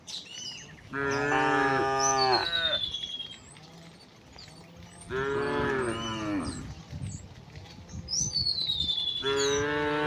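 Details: Afternoon herding of tame cows home through a quiet village; three loud, drawn-out moos about four seconds apart, each slightly wavering, while birds chirp and whistle in the background.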